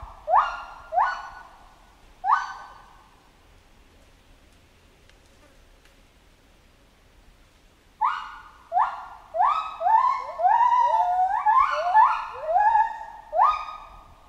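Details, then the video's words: Chimpanzee in a jungle setting: three loud harmonic calls, each opening with a sharp rise and then sliding down, followed by a pause, then a dense run of overlapping, quickly repeated calls from more than one voice. "Monkey Ape Sound Effect Chimp Jungle"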